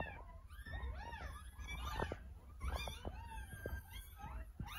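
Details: Newborn puppies, ten in all, kept in an incubator following a caesarean while their mother is being sutured; arched, high-pitched whines repeated in quick succession, overlapping each other, with a low machine drone beneath.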